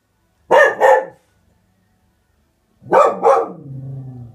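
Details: Young Springer Spaniel barking at something outdoors: a quick double bark, a pause of nearly two seconds, then another rapid double bark followed by a low, sustained grumbling whine.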